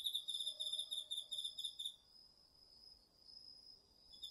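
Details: Autumn insects including crickets in a garden vegetable patch, captured on a DR-40X. Quick bursts of high pulsed chirps repeat for two seconds, then fade, leaving a thin steady high tone before the chirping returns.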